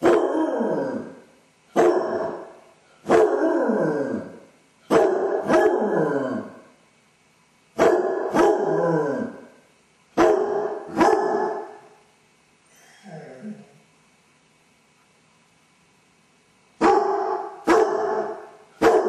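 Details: Basset Hound left alone at home, caught on a camera, howling from separation anxiety: loud, harmonic, falling bays in a run of about eight, each around a second long, then a long pause broken by a faint low whine before the baying resumes.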